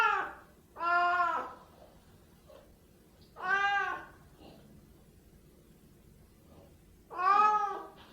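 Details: Siamese cats meowing indoors: three drawn-out, harmonic-rich meows, each about a second long and spaced roughly three seconds apart, with quiet low background hum between calls.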